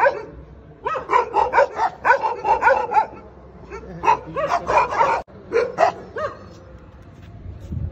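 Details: Ten dogs attacking a Pitbull bark in frantic, overlapping bursts. Quick sharp yelps come several per second in two long volleys, separated by a brief lull near the middle.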